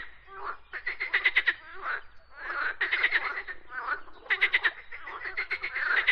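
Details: Frog singing in dense ratcheting bursts of quick pulses, several bouts in a few seconds, one call overlapping another so the rattles run almost continuously.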